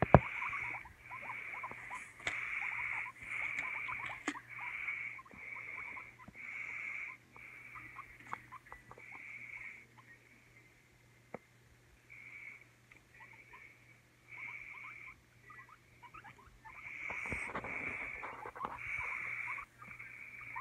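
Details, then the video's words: Over twenty seconds a guinea pig makes faint short squeaks while regular bursts of hissing noise come and go, quiet gaps in between, and a low hum runs throughout. "CUTE GUIENA PIG ASMR"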